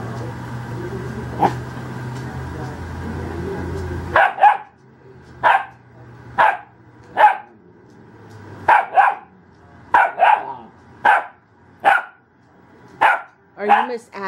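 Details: Eleven-week-old female Ibizan Hound puppy with plenty of spunk and attitude: after about four seconds of low rumbling background noise, she lets out a string of roughly a dozen short, high barks, often in quick pairs, spaced about half a second to a second apart.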